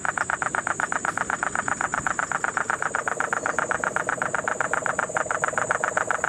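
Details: Puerto Rican crested toad calling in the Guánica Dry Forest, Puerto Rico, during the September 2007 rains: a steady train of rapid, evenly spaced rasping pulses throughout, with a lower cane toad trill and a constant high insect whine behind.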